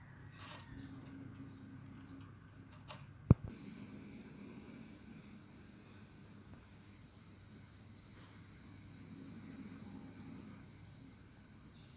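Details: Quiet indoor room tone with a low hum, one sharp click near the three-second mark and faint rustling.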